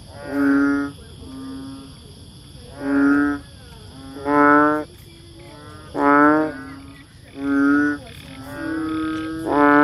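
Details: Banded bullfrog, known too as chubby frog, rice frog or bubble frog: loud buzzy-nasal croaks about every 1.3 seconds, with quieter calls filling the gaps between them.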